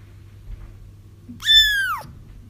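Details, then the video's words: A single kitten's cry, one of several kittens used to lure a feral mother cat into a trap; a high, harmonic mew that rises then slides downward over half a second, with a low steady hum underneath. "30 minutes of Kittens Crying"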